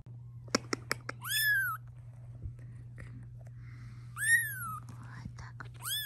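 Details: Indoor cat near her kittens, the mother objecting to their filming: two high, arched meows with bright harmonics, separated by several seconds, among soft clicks, quiet whispered speech and a steady low hum.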